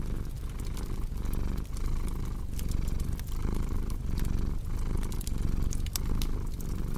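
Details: Relaxing cat purr: a low, buzzing rumble pulsing with in-and-out breaths about every three-quarters of a second, over a bed of crackling fire with frequent small sharp pops.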